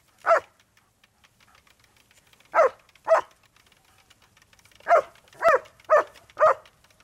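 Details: German Shepherds named Malfred and Mennard going after a lawnmower in motion, giving short, punchy barks in irregular bursts: one, then a pair, then four in quick succession, separated by brief quiet gaps.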